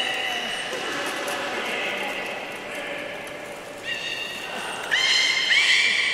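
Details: Belugas during a pool move at Port of Nagoya Public Aquarium on 11 August 2018, an attempted swap of Nana and Hodoi; wavering harmonic whistles, then rasping, pulsed tonal calls that grow louder near the end.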